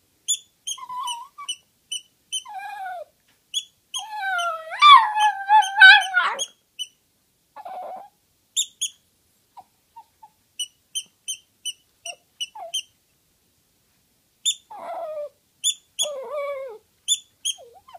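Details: Toy poodle fond of howling, giving scattered thin wavering howls and whines with a louder strained burst in the middle, long silent gaps between phrases, and steady faint high ticking tones throughout.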